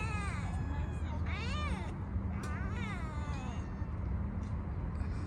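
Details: Park-dwelling stray kitten, fed and then petted, meows three times in quick succession, each call rising then falling in an arched shape, against constant low urban rumble.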